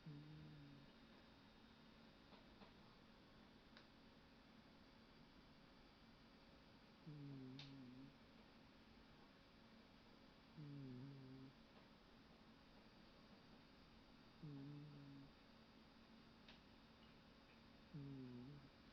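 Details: A Scottish Fold cat snoring on a sofa in low, rumbling bursts roughly every three to four seconds over a steady hum.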